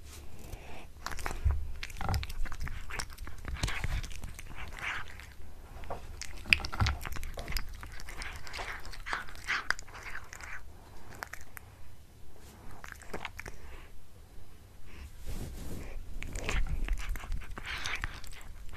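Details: House cat chewing on a tuna mini stick, recorded close: irregular crisp bites and crunches, moist mouth sounds and short pauses, quiet indoor background.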